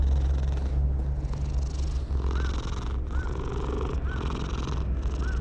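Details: Stray cat found on a wall, voicing pleasure as it is stroked: pulsing purr with faint short arched chirps repeated about once a second, and a low road hum behind.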